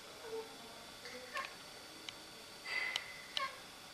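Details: Siamese cat fussing at a rook in a tree over the road: brief, thin, high meows and chirps, one longer wavering cry near the end, over a quiet constant background hum.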